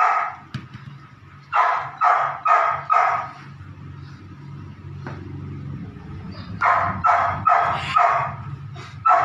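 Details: Nine-week-old Belgian Malinois puppy in ball and prey drive training, barking in bursts: three to four sharp, harsh barks in quick succession, a pause with low rumbling, then another rapid run of barks.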